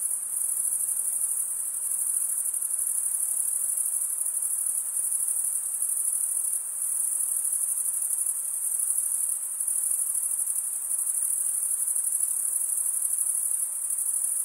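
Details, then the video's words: Steady high-pitched cricket stridulation forms a shimmering, continuous trill with small regular swells in volume and a soft hiss underneath. "Most relaxing cricket sound for 8 hours"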